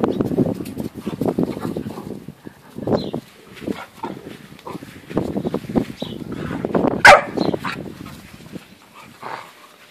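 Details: Great Dane litter of puppies 8.5 weeks old, a jumble of soft whines, grunts and yips in short bursts, with one sharp high squeal near the end.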